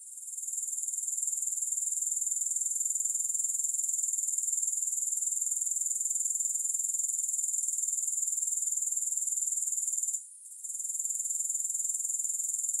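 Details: Unbroken high-pitched grasshopper trilling with no music, swelling in at the start and pulsing steadily around four times per second, with one brief dropout near the ten-second mark.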